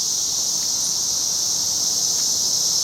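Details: A 17-year periodical cicada chorus in a backyard in 2007 makes a dense, unbroken, high-pitched drone, a sound said to continue all day for several weeks.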